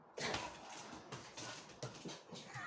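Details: Mojo and Laddu, two pet dogs, in a play fight while Mojo attacks a toy; loud, brief bursts of snarling and scuffling, separated by short pauses.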